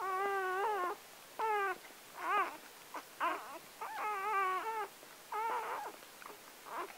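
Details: Newborn Gordon Setter puppy, number seven of nine born on October 23, 2014 to four-year-old Clea, crying at birth: high harmonic whimpering squeals in bursts of about a second, some wavering and rising, separated by short pauses.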